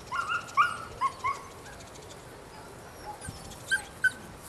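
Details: Female puppy nine weeks old, of Rodin and Katana, giving a few short high yips and whimpers in the first second and a half, then near silence before two brief squeaks near the end.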